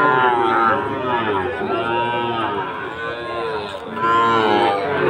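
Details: Sahiwal bull calves raised for fattening, at Aftabganj cattle market, Dinajpur, Bangladesh, 4 March 2023; several long, arching moos overlap one another, with a steady murmur of people talking around the animals.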